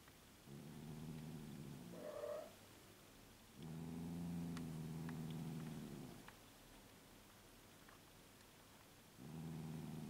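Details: Elderly 15-year-old female cat, recorded shortly before her death, giving low rumbling purr-like sounds in three long stretches, with a brief higher moaning note near the second second and quiet room background between.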